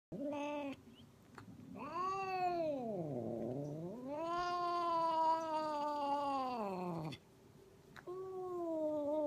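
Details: Angry domestic cat giving long, drawn-out yowls: a short opening cry, then a wavering howl that dips low before rising, a sustained strained wail lasting about three seconds, and a final shorter rising cry, all rich in harmonics.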